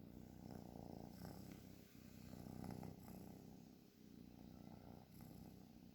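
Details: Low buzzing snore from a sleeping cat, rapid pulses grouped into breath-length swells about every two seconds, with faint higher rustles.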